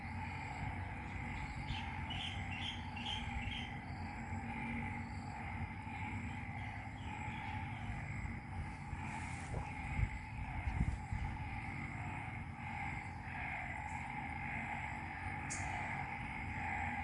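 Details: Rain-night frog chorus in Ubon Ratchathani, Thailand's Isaan region; an even, continuous humming drone in two bands, with brief high chirps near the start and occasional clicks and knocks against low rumble.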